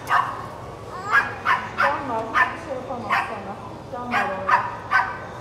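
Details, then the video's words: Puppies giving short, high yipping barks in quick bursts, about eight across the stretch, irregularly spaced roughly half a second to a second apart, with a faint murmur of background noise between them. "Super cute puppies"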